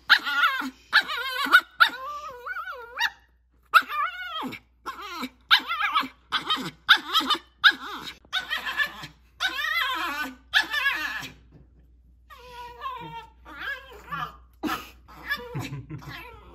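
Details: Cavapoo Olive watches a herd of deer from the property, shivering with excitement. She makes a long run of tense, quavering whines, a rapid string of short pitched yelps and cries with brief pauses, and a quieter stretch near the end.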